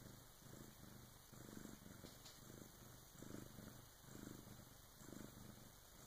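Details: Purring Bengal cat giving birth to her first kitten, early morning around 3 a.m., with her big sister helping; a steady low rumble swelling and fading roughly once per second, with no other clear sounds.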